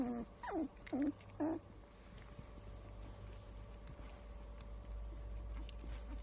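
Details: Standard Poodle puppies 22 days old, recorded April 8, with three clear wavering whimpers in the first two seconds, each dipping then rising, followed by quieter faint squeaks over a low background hum.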